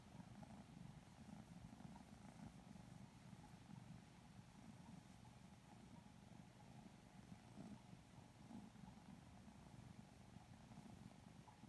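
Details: Two Lilac Modern Lynx Balinese kittens purr while being cuddled and petted, sleepy and relaxed; an even, low rumbling purr holds steady for the whole stretch with faint fur-rubbing sounds.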